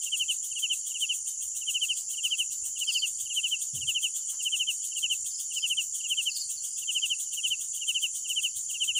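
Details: Crickets calling at night with regular short pulsed chirps about twice a second, over an unbroken high shrill chorus and a brief low thump.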